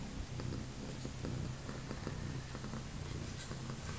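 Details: Indoors, a mother cat missing one front leg rests with her newborn kittens a day after the birth; her low, even purr throbs steadily, with soft scattered clicks and shuffling sounds on top.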